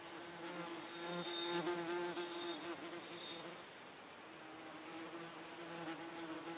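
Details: Rich, loud buzzing of a paper wasp with many overtones, strongest during the first three seconds, then a softer hum. A high steady insect whine runs underneath throughout.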